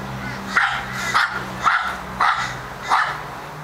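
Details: Charlie, an Australian Terrier with a barking problem, gives five rapid, yappy barks about every half second, each rough and bright, with a low mechanical hum in the background.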